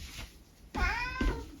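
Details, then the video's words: Senior tabby mix cat, living with a family in the UK and given to talking a lot, chats with its owner indoors: a drawn-out harmonic meow that rises then falls, followed by a shorter second note, with the owner's speech nearby. "Conversations with my cat"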